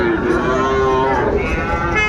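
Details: Sahiwal bull calves for sale at the opening of Ambari cattle market in Dinajpur, Bangladesh, on 23 February. A drawn-out, level moo holds steady for about a second, nearly lost under a constant din of crowd chatter and bargaining.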